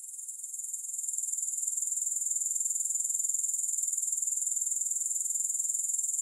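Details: High, fizzing grasshopper trill that starts softer and uneven, then settles within a second into a loud, steady stream of rapid, regular pulses.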